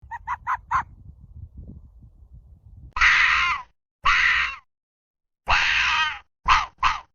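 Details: Arctic fox barking: a quick run of four short high yelps, then loud harsh raspy barks in bursts of about half a second to a second, separated by silent gaps.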